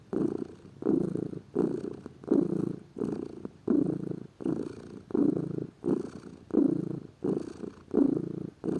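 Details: Domestic cat, a lazy pet, purring steadily: deep vibrating rumble pulsing in breath-length waves, roughly twelve surges spaced under a second apart, each fading before the next.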